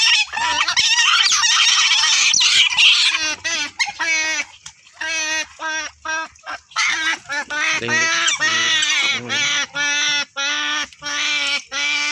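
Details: Otter giving repeated whining, nasal calls in short, rhythmic bursts of two or three per second, with a noisy rush of squealing at the start.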